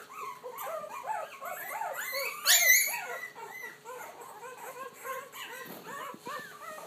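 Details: Young puppies finding their voice in a steady stream of short curved whines and thin howls, one sharp shrill squeal near the middle standing out above the overlapping pups.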